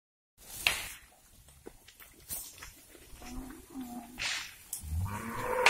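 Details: Cattle herd of mixed beef breeds, bulls, cows and calves, crowding into a river as herders move them to a new grazing site by an oil palm plantation; a few short, low moos rise near the end amid splashing and general herd noise.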